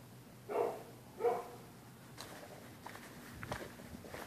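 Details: Neighbours' dogs barking at night at anyone using the public sidewalk on either side of the street; two sharp barks about a second apart, then quieter knocks and shuffling sounds.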